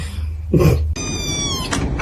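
A kitten gives a thin, high meow that slides slightly downward, with household clatter around it.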